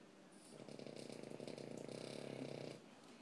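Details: Loud snoring from a Shorty bull dog, indoors: a single rattling, ratchet-like snore lasting about two seconds, with fast regular pulses through the breath, then quiet.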